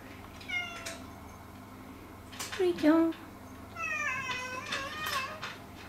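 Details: Indoor cat complaining and seeking affection, giving a few drawn-out harmonic meows, one low bending call near the middle, with a woman's voice and household noise around them.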